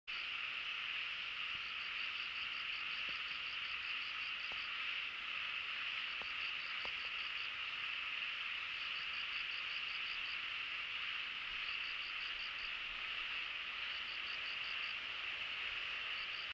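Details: A dense chorus of many frogs on Iriomote Island: a steady wall of overlapping trilled calls, with bursts of higher pulsed notes.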